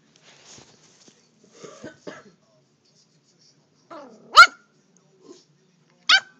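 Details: A Toy Fox Terrier playing in a chair gives two sharp, high yapping barks near the end, after a few softer, muffled yips and rustles in a quiet room.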